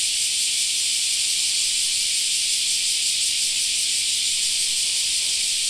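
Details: Cicadas singing in a summer park: a dense, unbroken shrill hiss spanning the high range in layered bands, steady in loudness throughout with no pauses, and no other clear sounds.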